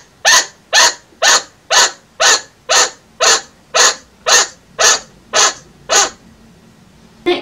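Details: A frightened Royal Persian Angora chinchilla, reacting as if a predator is near, gives an alarm-call bark: a steady series of about a dozen short, harsh, squeaky yaps, roughly two per second, with a final bark after a pause.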